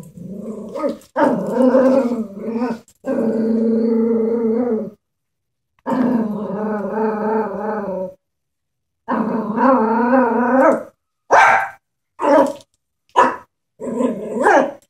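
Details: Pet Chihuahua afraid of a stuffed animal horse, growling in long sustained rumbling stretches separated by brief pauses, ending in a series of short clipped yaps.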